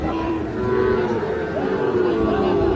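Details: Sahiwal bulls and calves at the Ambari cattle market in Parbatipur, Dinajpur, Bangladesh, recorded 8/6/26: a low, drawn-out moo with a steady harmonic tone lasting nearly three seconds, over crowd chatter and bargaining voices.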